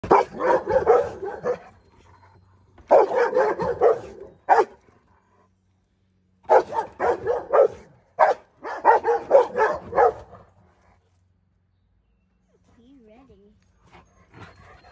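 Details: A Rottweiler, upset and guarding, gives agitated, rough barks in quick bursts with brief pauses between volleys, while a husky puppy nearby looks on unbothered.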